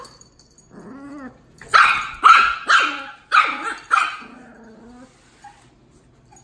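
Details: Dog barking as Tito, a two-month-old Miniature Pinscher puppy, meets Jupiter, an eighteen-month-old Dachshund, at home. A soft whine is followed by a run of about five sharp, ringing barks and a fading whimper.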